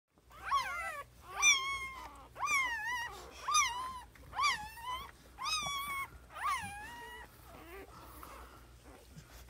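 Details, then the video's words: Pet dog giving birth to puppies at home; a series of about eight high, whining cries, each under a second and bending up then down in pitch, about one per second, fading toward the end. "Momma and puppies"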